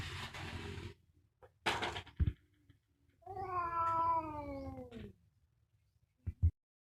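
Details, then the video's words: Fierce cat in a fight: hissy noise bursts and knocks, then a single drawn-out yowl that gently falls in pitch for about two seconds, followed by two sharp thumps. "SUARA KUCING GARANG BERANTEM"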